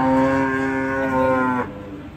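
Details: Fairly aggressive cow being unloaded from a truck and then tied up; a loud, rich, steady bellow lasting about one and a half seconds before stopping abruptly, leaving quiet background.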